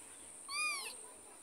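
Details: A single softer meow from a mother cat following her kitten as it is carried between houses. The call is brief and slightly arched, over a quiet hiss and a constant high tone.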